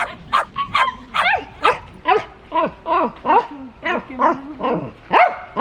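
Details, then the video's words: Shetland Sheepdog in a fast, continuous string of high, yelping barks, about two to three per second, each with a bent, whining pitch and some overlapping. "Sheltie Barking Sound Effect | Sheltie Dog Barking"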